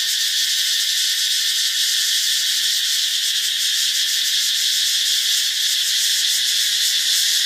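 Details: Katydids fill the air with a loud, steady, high-pitched buzzing drone that never pauses, around 9:30 in daylight at a beach resort near Haad Rin, Koh Phangan, Thailand.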